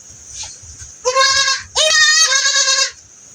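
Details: Two drawn-out, wavering bleats from a goat with pink eye under treatment, the second longer and rising slightly at its start, over low background murmur.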